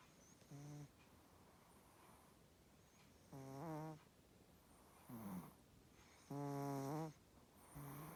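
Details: Coco, a pet Chihuahua, fast asleep and snoring as usual indoors; buzzy, nasal, harmonic snores come in uneven bursts, about five in eight seconds, some with a breathy high hiss on the breath.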